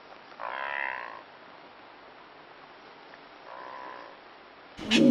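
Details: Blue wildebeest (brindled gnu) recorded in Kruger National Park, South Africa, giving two nasal, grunting honks about three seconds apart, followed by a sharp loud noise at the end.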